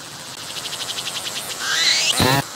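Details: Singing cicada approached closely on a tree, captured on a 180-degree 3D VR camera, abdomen moving as it calls: a run of rapid soft high pulses builds into a loud rising shrill sweep and a harsh broadband burst.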